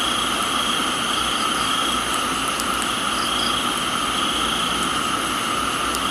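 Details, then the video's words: Crickets in a Thai tropical garden keep up an unbroken metallic ringing at a few steady pitches, with faint clicks and soft rain hiss filling the background. "Thailands Tropical Garden, Rain and Crickets"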